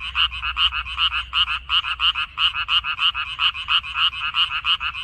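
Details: Several frogs croaking in a minari field in mid-May 2021, uneven bursts of short pulsed notes from overlapping callers, some louder and nearer, others fainter, with no other sounds.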